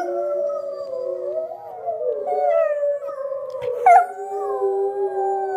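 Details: Schnauzer, female, howling along with wild wolves heard on TV; long steady wavering howls held for seconds, layered with other sustained wolf-like howls from the television, one brief sharp rise near the end.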